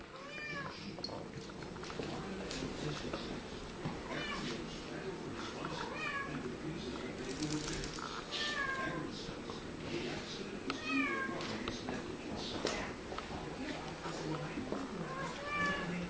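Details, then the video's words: Two Siamese cats talking to each other indoors, trading repeated meows: short rising-and-falling cries come every second or two, some drawn out and wavering, others clipped, over a steady low hum. "two siamese cats talking to each other"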